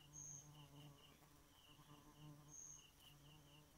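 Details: After dark a bee drones in a low, steady buzz. Two thin high whistles and soft rhythmic chirps from other insects are also heard.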